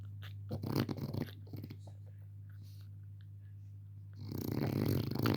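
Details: Sleeping male Frenchie puppy Pepe el Jefe: a few brief snuffling snorts at the start, a quiet pause, then one loud rattling, buzzy snore to finish, all over a low steady hum.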